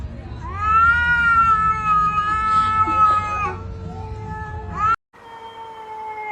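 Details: Fighting cats: one sustained, wavering yowl lasting around three seconds that slides up and fades, then a brief rising cry, a cut, and a quieter drawn-out moan.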